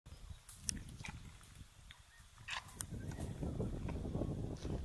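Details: Baby Indian one-horned rhino feeding noisily beside its mother early morning in Kaziranga National Park, India: steady low crunching and rustling chewing that grows denser toward the end, with scattered sharp clicks.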